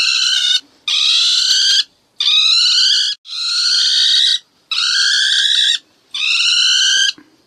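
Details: A ferret-badger cries out as if calling for help, giving harsh, shrill screams about a second long, repeated in quick succession with brief pauses.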